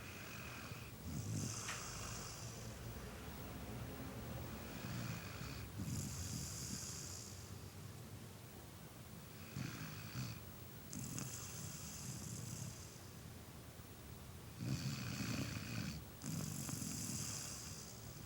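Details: A sleeping dog snoring steadily: low rumbling inhalations alternate with hissing, breathy exhales that return roughly every four to five seconds across the recording.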